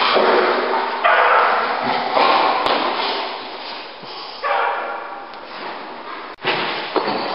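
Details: A dog gives harsh, clustered barks roughly every one to two seconds, each a dense, noisy burst, with a thud near the end and steady background noise throughout.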